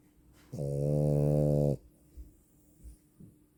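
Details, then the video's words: A female French Bulldog gives a single low, even, humming snore lasting just over a second, followed by soft breathing sounds. "If you think that you buy a girls dog and you hear her snoring omg 😅 French bulldog"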